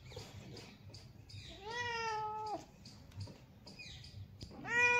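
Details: Relaxed cat basking in the sun lets out a long, steady, slightly rising meow lasting nearly a second, followed by quieter faint mews and a final loud rising meow at the end.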